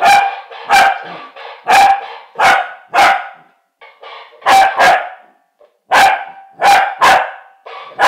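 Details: A Corgi lets out sharp, mid-pitched barks in quick bursts, broken by short pauses, while "conversing" with a mechanical parrot.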